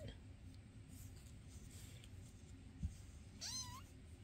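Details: Faint background hiss, a soft knock, then one clear meow near the end that climbs and then sweeps downward; indoor foster cats Basil, Oodles and Zimothy, filmed May 22, 2024.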